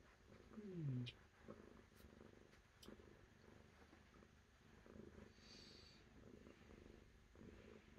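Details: Low, continuous cat purr with a steady rhythmic throb, interrupted near the start by a short gliding vocal sound, then resuming evenly.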